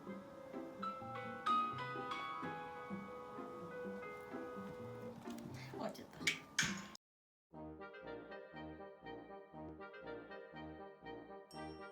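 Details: Melodic instrumental music with brass-like tones breaks off for a moment of silence, then resumes as a rhythmic plucked tune.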